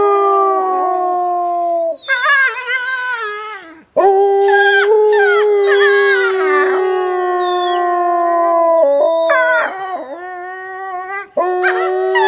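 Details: Wolves at Wolf Howl Animal Preserve on a snowy day, playing and howling together: several long, steady overlapping howls held at different pitches, with short yips and quavering cries breaking in between brief pauses.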